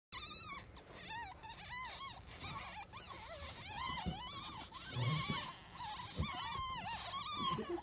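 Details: Potpie's three black-footed ferret kits, two males and a female, one week old, at their first full exam by Smithsonian Conservation Biology Institute keepers: thin arching squeaks repeat rapidly, rising and falling, amid soft handling noises.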